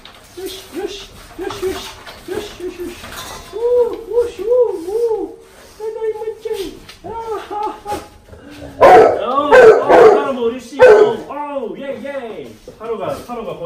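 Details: Golden retriever parent and offspring react as their owner suddenly plays dead. A run of short, arched, whiny cries repeats, then turns into louder, higher, strained whimpers and yelps midway, with people talking in the background.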